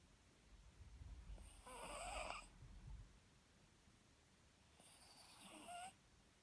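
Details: Papillon, a pet dog whose snoring worried its new owner into a vet visit that found nothing wrong, snores twice: a long hoarse, whistly breath, then a quieter pause, then another rasping snore about three seconds later.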